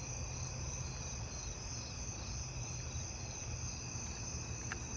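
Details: A pine tree cricket's steady, unbroken trill carries through a neighbourhood insect chorus with fall field crickets, recorded on 8/19.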